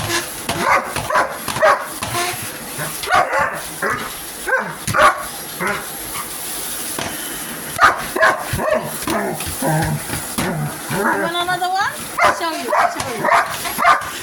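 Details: Pet dog Hogan barking at a vacuum cleaner indoors, short sharp barks in irregular bursts mixed with a person talking over them and a steady high hum in the background.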